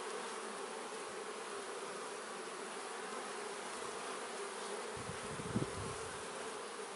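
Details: Even hum of many honey bees from a beekeeper's hive, continuous and unchanging, broken late by a single soft knock or thump.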